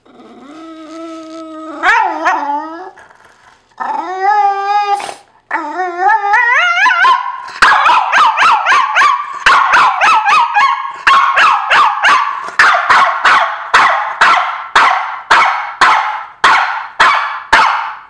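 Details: Pet dog complaining, apparently because another dog is sleeping in his spot: opens with drawn-out, wavering whimpering howls that rise in pitch, then breaks into a fast, steady run of sharp barks, almost two per second.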